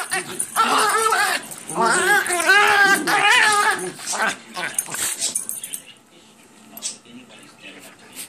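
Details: Schipperkes, two dogs at play, one producing funny noises: bursts of warbling, harmonic grumbles and whines with wavy rising-and-falling pitch for about five seconds, then fading to quieter scuffling and faint sounds.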